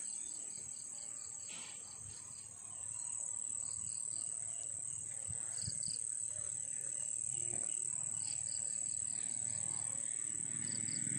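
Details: Crickets singing at night in a field area of Turi, Sleman, during the pandemic: a steady, high, shrill drone runs throughout, with short bursts of pulsed chirps repeating irregularly over a low rustling background.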